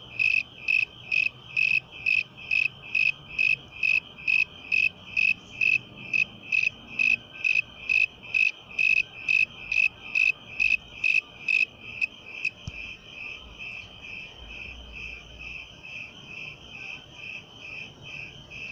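A cricket sings a steady series of high, pulsed chirps, about two every second.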